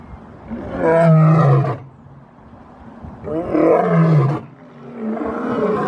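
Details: Lion giving two long, deep roars about three seconds apart, each swelling into a throaty, rumbling drone before falling away, with a softer groan trailing at the end.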